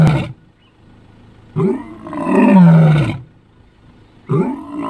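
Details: Lion roaring in the African bush: a deep, groaning roar at about 1.6–3 s with a low, falling tone, cut off at the start and end by other loud low calls.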